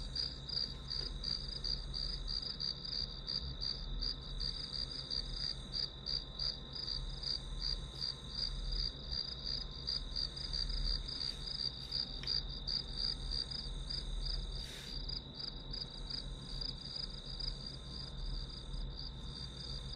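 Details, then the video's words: Grass insects calling, a steady high-pitched pulsed trill of about three pulses a second that continues without a break, over a low constant hum. "풀벌레 소리"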